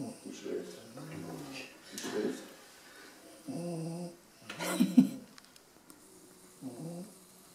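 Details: Sleeping dog snoring in rasping, low buzzing breaths, three or four separate snore bursts spaced a couple of seconds apart. Quiet human speech is mixed in between them.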